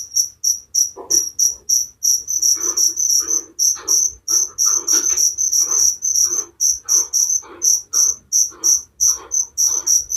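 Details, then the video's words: Loud, fast cricket chirping, high ringing pulses about three per second, accompanied by softer, lower rasping pulses that fall in step with the chirps. "Suara Jangkrik penghantar tidur || Relaxing sound of crickers"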